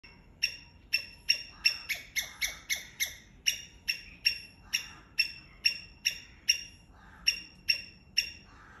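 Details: A Sri Lankan palm squirrel chatters with sharp, high, bird-like chips repeated about every half second.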